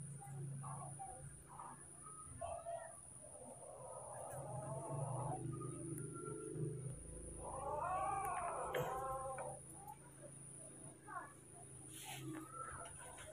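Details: Baby monkeys Moni and Mino, scared and angry at a new person filming them, give arched, harmonic squealing cries that rise and fall, clustered in a loud burst midway, over a steady low hum and faint voices.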